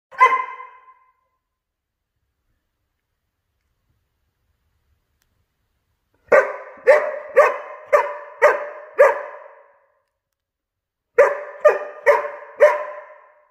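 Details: Giant Schnauzer puppy, 19 weeks old, being naughty; one bark, a pause of several seconds, then a run of six sharp barks about half a second apart, another pause and four more barks.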